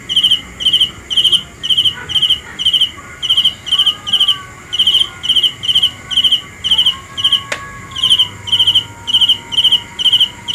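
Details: Regular high-pitched chirps from a cricket, each a quick buzzy pulse repeated about twice per second, with a single sharp click partway through and a soft tone underneath.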